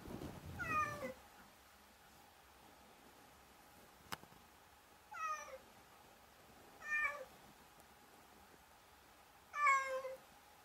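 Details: Cat repeating short falling meows, four clear calls spaced two to three seconds apart, the last loudest, with a rustle at the start and a single sharp click midway.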